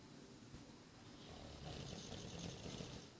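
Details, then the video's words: Nine-month-old English Bulldog Boris asleep and snoring, a continuous low rasping rumble that grows louder and fuller after the first second and holds steady to the end. "English Bulldog Boris snoring"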